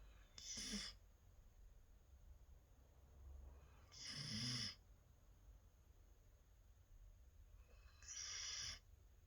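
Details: Merry, a female standard Labradoodle born 24 December 2018, snores loudly while napping indoors: three broad, breathy rasping bursts, each about half a second long and spaced roughly four seconds apart, over a quiet room hum.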